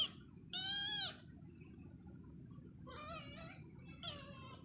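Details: Cat giving one loud, drawn-out meow with a rich, wavering tone, followed by two softer, shorter meows about three and four seconds in, over a low steady background hum.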